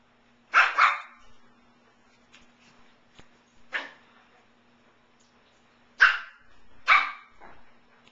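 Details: Shih Tzu puppies at play indoors, 17-week-old female Payslee the talkative one with brother Sawyer: sharp high yaps in quick pairs, a lone bark mid-clip, then two more loud barks near the end, soft scuffles between, low steady hum.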